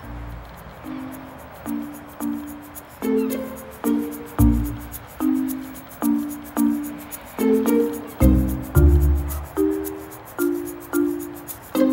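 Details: Gentle plucked ukulele-like melody with a steady string of notes and soft low thumps, no animal voice standing out.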